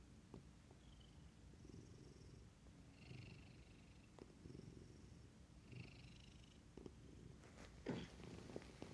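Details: A Maine Coon cat, yawning in the morning, hiccups in soft, repeated bursts over a low, steady rumble like purring.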